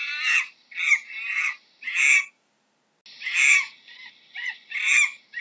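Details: Monkey uttering scratchy, barking cries in two clusters, four bursts, a silent gap of under a second, then four more, each hoarse and loud.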